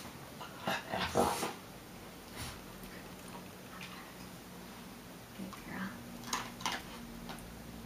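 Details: Female Meagle puppy, a Miniature Pinscher and Beagle mix, indoors while doing tricks on command; one sharp, loud bark near the start, then a few softer short sounds, mixed with a person's spoken commands in a small room.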